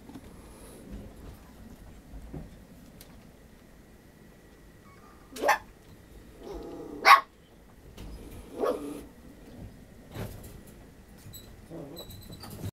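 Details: Male puppy, firstborn of its litter, 50 days old, filmed on 22 July indoors: a few short, sharp barks spaced irregularly, with one loud yap in the middle and softer yelps and rustling between them.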